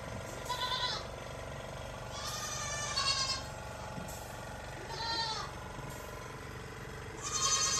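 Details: Goats bleating while being milked by a milking machine; wavering, harmonic-rich bleats repeat about every two seconds over a steady mechanical pulsing hum from the milk machine.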